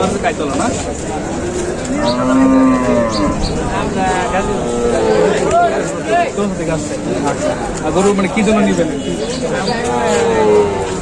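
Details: Bulls (ষাঁড় গরু) at Batajor cattle market, offered for the 2024 Qurbani, recorded on Tuesday 26 March 2024; several low drawn-out moos, some rising and falling, over a busy crowd murmur of voices.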